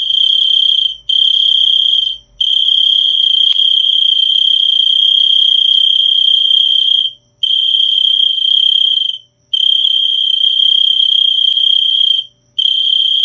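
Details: Cricket calling in a continuous high, steady trill, broken by short silent gaps roughly every one to three seconds; a faint higher whine appears near the end, otherwise no other sounds.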